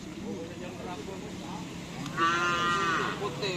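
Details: Cattle during karapan sapi bull racing practice at Asemanis field, Pamekasan, Madura: a single clear, steady, tonal moo of under a second in the middle of the recording, amid crowd chatter and outdoor noise.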